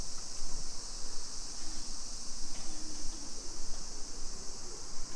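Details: Cicadas singing on a summer afternoon, 2 PM, 28 July 2021, in a Nisshin city neighbourhood, Aichi, Japan: an even, high buzzing drone fills the background with soft low rumbling beneath.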